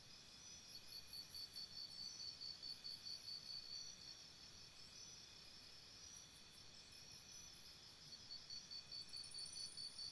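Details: Night crickets by a campsite repeat short trains of quick, high, metallic pulses, then go quiet into a steady shrill drone before another pulsed burst near the end. Faint high tinkles sit above.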